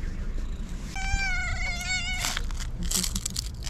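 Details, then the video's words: Fluffy female tabby cat, a pet, giving one long, steady, high-pitched meow that lasts about a second and a half, followed by rustling and handling noise. "Fluffy tabby cat that meows with its unique sound"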